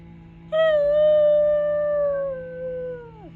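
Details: New Guinea singing dog giving its yodel-like singing howl: one long clear tone, steady then gliding down and dropping sharply at the end, about three seconds, over a low steady hum.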